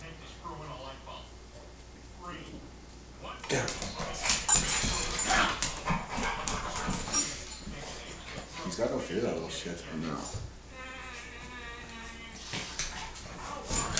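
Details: An American Staffordshire Terrier gives rough, gruff barks and growly bursts during play-fighting with a Boston Terrier indoors, with a person talking and urging them on.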